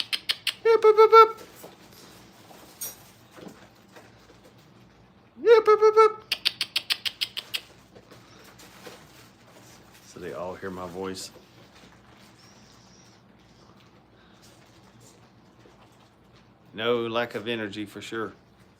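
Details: Brittany puppies during crate and tunnel training at a kennel: short, high tonal whines rising and falling, heard twice near the start, with a later wavering whine and a final longer whimper against a quiet indoor background.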